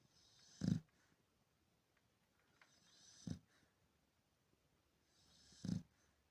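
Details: A sleeping Chow Chow, settled back down after briefly waking, snores in deep, rumbling snorts about every two and a half seconds.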